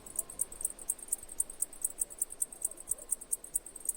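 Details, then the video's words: Cicada calling in crisp, evenly spaced high chirps, about four each second, with a faint low murmur in the background. "Cicada Chirping Sounds"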